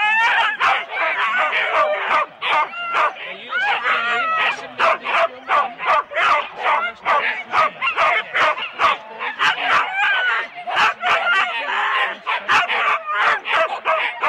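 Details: Rendlesham, January 2016: four-dog Husky sled teams make a sustained, pulsing racket at the start, with short barks in quick succession and yelping whines layered over one another, recorded on analogue cassette tape.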